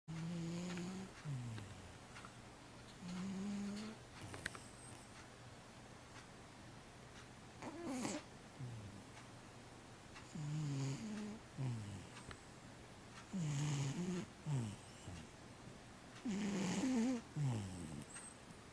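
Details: A 15-year-old domestic cat that sleeps all day snores indoors. Low, rough breaths come in bursts roughly every three seconds, some rising and falling in pitch, with quiet gaps between them.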